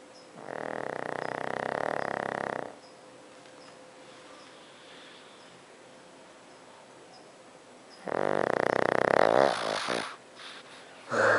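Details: Pet pug snoring while asleep at night indoors; two long, harsh, rasping breaths of about two seconds each, separated by a quiet pause of several seconds, with a brief scuffle at the end.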